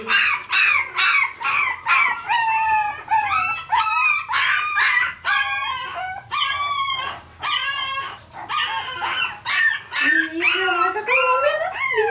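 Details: Parson Russell Terrier puppies in Tampere, Finland, recorded on a Sony FDR-AX100, letting out a rapid stream of high, thin yelps and whines, roughly two per second, with a long rising squeal near the end.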